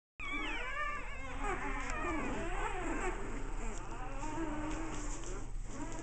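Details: American Bulldog puppies at play, a litter heard indoors: dense overlapping high whines and squeals with wavering, stacked tones, several pups calling at once over a steady low hum.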